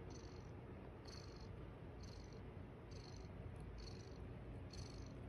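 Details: Foster mother cat Estella with her kittens on the eighth morning, purring in a deep steady rumble, while a high insect-like chirp repeats roughly once a second in the background.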